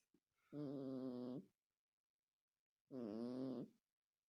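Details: Cat snoring heavily: two long, rasping, tonal snore breaths with a slight pitch wobble, about two seconds apart, silent in between.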